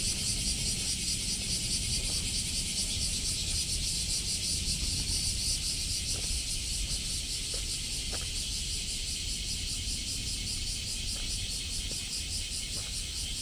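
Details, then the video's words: A summer chorus of cicadas in Osaka on July 17th, 2024, recorded while walking: steady, pulsing high-pitched droning throughout, with faint clicks and a constant low hum of vehicles in the background. "Catching the sound of cicadas in Osaka"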